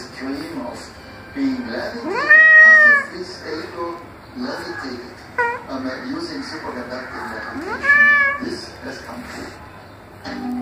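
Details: Irritated male cat producing two loud, rising-then-falling meows about six seconds apart, interspersed with people speaking and softer shorter mews.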